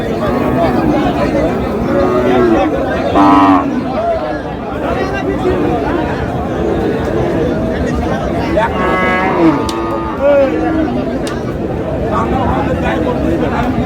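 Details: Cows at a cattle market where a Dhaka farmer buys lean cows, 25 August: several drawn-out harmonic moos rise over constant loud bargaining chatter and crowd noise, one near three seconds and more around nine to ten seconds.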